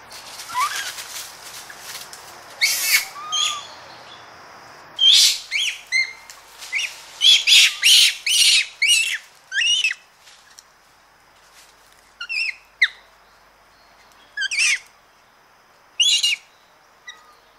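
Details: Japanese macaques, several animals recorded close up, giving harsh, noisy screams and aggressive calls in loud bursts clustered mid-clip, with thin rising tonal cries between and brief quiet gaps; rustling in trees and birds faintly behind.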